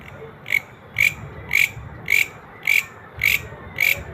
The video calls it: Greeñ Grasshopper Natural Sound